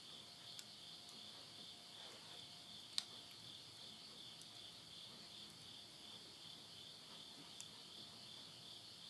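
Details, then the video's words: Countryside insects at midnight, end of summer, September 2020, Tottori, Japan. The continuous bright trilling drone holds steady while occasional loud cracks from burning wood in a stove cut through. "the voice of insects"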